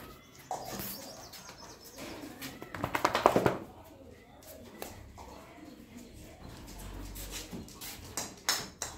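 A Great Dane puppy gives a short run of high, tonal yelps amid indoor clatter and faint voices.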